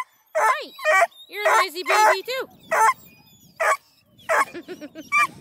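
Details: Young coonhounds, Blueticks, Redbones and a male Black and tan pup, at a breeder near Kingston, Ontario, Canada, letting out short repeated bending yelps in quick clusters, then spaced single cries over soft background shuffling.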